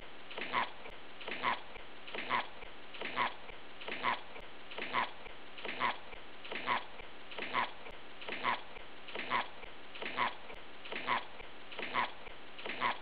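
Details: Bunny grunting on a loop, a steady string of fifteen brief nasal 'epp' sounds spaced just under a second apart, even and mechanical in rhythm with a quiet constant hiss behind.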